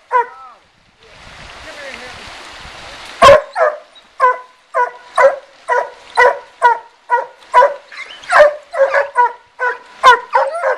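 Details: Night-hunting dogs Suzy and Sandy tree a raccoon in a riverside den tree in Taylor County, Kentucky. After one bark and a stretch of rustling noise, a fast, insistent series of sharp, harmonic barks follows, sometimes doubled.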